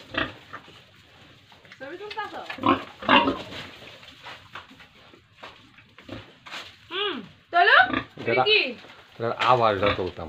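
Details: Pigs and piglets on a farm in Tripura during feeding, giving rough grunts and sharp rising-falling squeals in clustered bursts, with people talking and knocking noises in the background.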